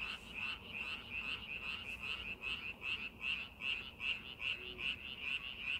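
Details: Chorus of frogs in a rice field prepared for planting, crisp high-pitched croaks arriving in a fairly even rhythm of roughly two to three per second, forming an unbroken pulsing wall of sound.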